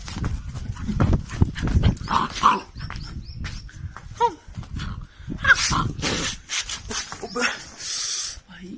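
A Labrador puppy gives short, sharp yapping barks in scattered bursts, with a person talking nearby.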